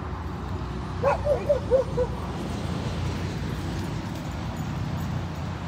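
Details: Siberian Huskies at play by a lake in a Colorado dog park, on a road trip; one quick run of four or five sharp, high yips in the first two seconds, then only a steady low background rumble.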